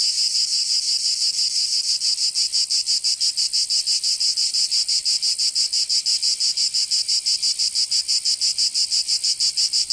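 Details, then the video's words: Provençal cicadas in summer, southern France, keep up a continuous shrill buzzing, beating in rapid even pulses roughly three per second throughout, nothing else audible. "Canto Cigarra 🦗 [ Escuchar les cigarras en verano 10 H]"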